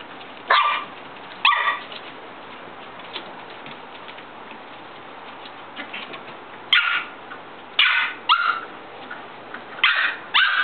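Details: Shetland Sheepdog puppies from the parents Lamb and Pepper: bright, high-pitched yips and barks come singly at first, then in a quicker run of four or five near the end, over a faint constant hum.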